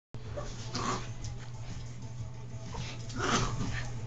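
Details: A dog in a playful, wild mood, pestering another dog with its antics. Two short, rough barks land about two and a half seconds apart over a steady low electrical hum.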